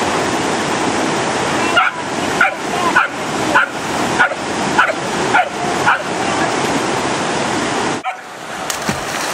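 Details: Obsessive two-and-a-half-year-old miniature poodle swimming and fetching big sticks in a fast, cold Wyoming mountain creek. Eight sharp barks come roughly every half second over loud, steady rushing water, then only the water continues.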